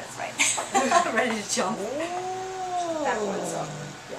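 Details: Angry domestic cat freaking out during a vet visit: harsh noisy hiss-like bursts at first, then one long drawn-out howl that rises, holds and falls over about one and a half seconds, indoors.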